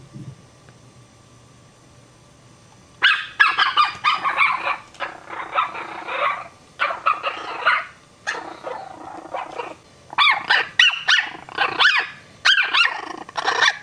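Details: Frightened Chihuahua puppies: after three quiet seconds, bursts of shrill, rapid yapping barks and yips begin, overlapping in dense clusters with brief pauses, then sharper, more separated yaps toward the end.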